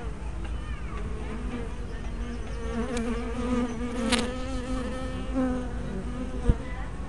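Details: Honey bees at a hive entrance on 24 May 2012, picked up by a small spy camera with a fisheye lens: a steady overlapping drone of many wingbeats with layered harmonic hum, individual bees swelling past, and a sharp click near the end.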